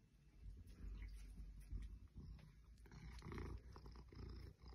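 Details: Ruby, an 8-year-old female Maine Coon, purrs while enjoying pets and rubbing against fake plastic plants in a boy's bedroom. A deep, continuous rumbling purr with soft rustles and brushing sounds over it.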